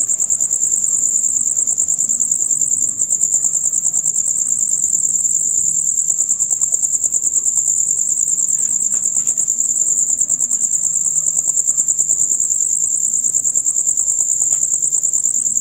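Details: Loud rapid chirping of male crickets in a night chorus lasting dusk to dawn, a continuous high-pitched pulsing trill at an even rate, with a few soft clicks in the background.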